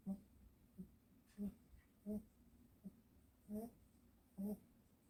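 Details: A dog fast asleep after a walk, snoring softly indoors: short, low, buzzy nasal snorts with faint overtones, about eight in five seconds, some coming in quick pairs, against a quiet room.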